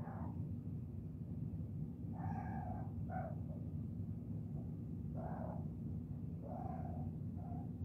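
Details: Kittens chirping: five short, faint, bright harmonic chirps spaced irregularly through the second half, over a steady low hum.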